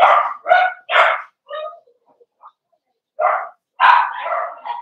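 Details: Indoor puppy pen of Cavalier King Charles Spaniels meeting bigger resident dogs for socialization, December 13, 2022: three quick sharp barks, a softer yip, a pause, then another burst of loud, rapid barking.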